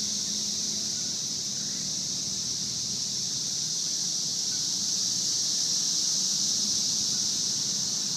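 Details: Periodical cicadas in a 17-year swarm, Edison, New Jersey, June 15, 2003: steady, shrill, continuous whine that swells slightly toward the end, over a soft low rumble.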